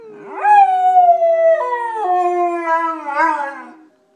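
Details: Golden Retriever. A golden retriever howls in a single sustained, wavering note. The tone drifts gradually lower, with brief jumps and a quavering rise near the end before it fades out.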